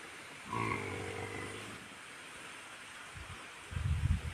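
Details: A wild boar sow with her piglet on a mountain gives a single low, moaning grunt just over a second long, steady in pitch with a nasal edge. After a pause, short bursts of deep rumbling noise break in near the end.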